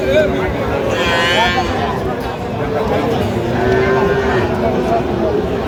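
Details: Small bull calves and heifers for sale at a cattle market in Feni, Bangladesh, 15 November 2025. A high, strained bawl comes early, then a second fainter one, amid steady crowd noise and voices calling out sales.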